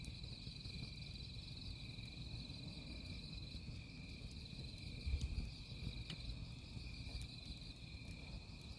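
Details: Crickets at a campsite beside burning firewood: a steady, unbroken high-pitched trilling drone runs throughout, with crackling and popping from the fire and a low rumbling background.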